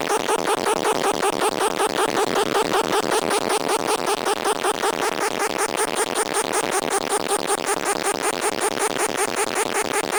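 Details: Unidentified insect, unseen, calling at the recording site: a loud, steady pulsed buzz repeating about two to three times per second with very even rhythm, a bright high hiss running along the top throughout.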